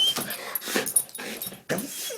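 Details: Excited Goldendoodle named Sadie going berserk at hearing the names of the family's absent boys, away for two weeks: rapid bursts of rough yips, huffs and growly vocalising with breathy gaps, in a small room.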